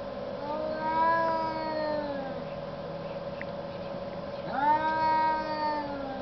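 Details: Two cats arguing in the snow: long drawn-out yowls with rich harmonics, one wavering howl fading out, then a second rising, sliding wail near the end, over a steady low hum.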